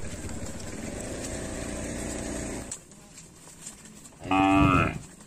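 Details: Village cattle herd roaming fields near a lake: a steady, rumbling noise fills the first half and then fades. A short, bright moo rings out near the end.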